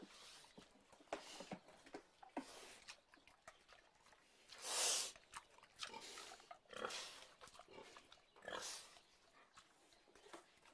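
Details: A pig lets out one loud, shrill, hissing squeal in the middle, with shorter rasping squeals and grunts scattered before and after amid low rustling.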